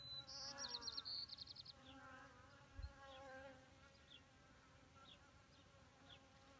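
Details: Wing buzz from honeybees gathered at a small pond's edge in May 2018, drinking water while perched on rocks. A rapid, chattering bird trill opens the recording, then a soft, wavering drone continues with faint clicks.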